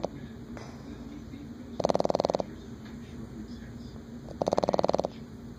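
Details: A male Boston Terrier snores loudly in two fluttering rasps about two and a half seconds apart, keeping his owner awake.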